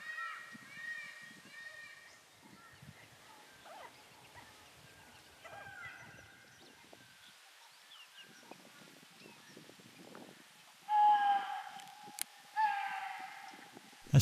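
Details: Chital in India in hot April weather give two loud, shrill, honking alarm barks near the end, after a stretch of soft background music.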